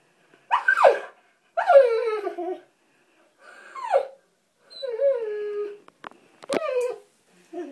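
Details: Pet springer spaniel, female, at a bathtub after a water bug: high yelping whines that slide steeply downward, five separate drawn-out cries with short gaps between them, and a brief click near the end.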